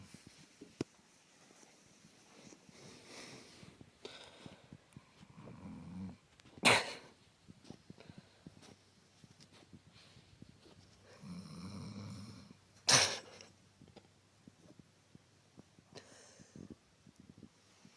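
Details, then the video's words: A sleeping dog snores indoors, soft low rasping breaths rising around six and twelve seconds, each followed by a sharp loud snort or sniff; quiet room between breaths. "SNORING DOG!"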